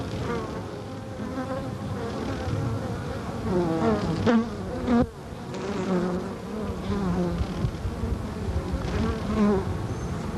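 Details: Carniolan honey bees give a steady, dense hum, recorded in July 1990 at the open comb of an observation hive, with pulsed wing-puff buzzing bursts during a waggle dance, likely attention signals to bees in the dark.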